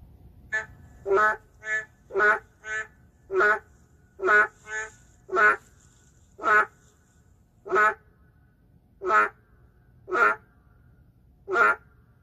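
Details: Endangered narrow-mouthed frogs inside the city call in an uneven series of about fifteen nasal, bleating croaks over twelve seconds, some louder and some softer alternating notes, suggesting more than one caller, with low background noise.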